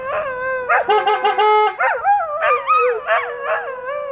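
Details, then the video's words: Several English Setters howling together: overlapping, wavering tones that slide up and down in pitch, with a burst of short yips and yelps early on before the long, sustained howls carry on to the end. "English Setters sing the Song of Their People"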